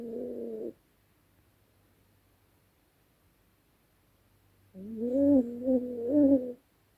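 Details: Night-time snoring from Dezi, a sleeping dog: one short nasal breath, a pause, then a longer wavering, humming snore that swells twice in a quiet room.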